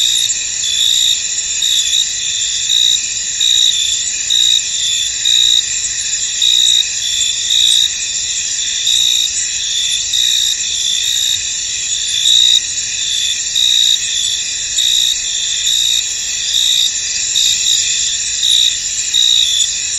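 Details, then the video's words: Chorus of crickets in a foggy field, a continuous shrill, ringing trill layered in several high bands, with rhythmic surges of loudness about every second throughout. "Tranquil Cricket Sounds In An Misty Field"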